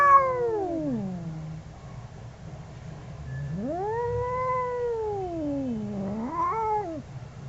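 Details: A pair of angry cats caterwauling: a descending moan, a pause, then a long rising-and-falling wail that dips and rises again into a short, sharp end.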